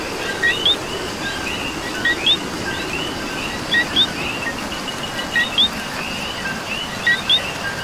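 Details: Coqui frog heard through falling rain in Puerto Rico, giving five crisp two-note calls, a low short co then a rising whistled qui, roughly every 1.7 seconds, above constant rain hiss and a faint chorus of other frogs.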